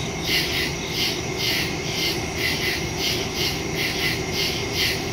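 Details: Woodland crickets at night, recorded September 2, 2023, on a phone with a stereo microphone; loud, piercing chirps sound about once to twice per second, backed by a steady insect drone.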